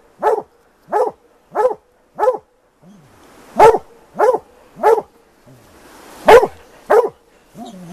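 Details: Plott hounds baying on a big tom mountain lion; series of sharp barks in quick runs with brief pauses, and low human voices in between.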